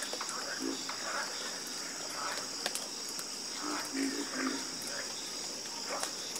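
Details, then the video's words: Chorus of frogs croaking: scattered low, throaty notes, with a cluster of quick repeated croaks near the end, set against a continuous shrill insect drone and soft background rustle. "Calming Sound Of Harmonious Frog Croaking"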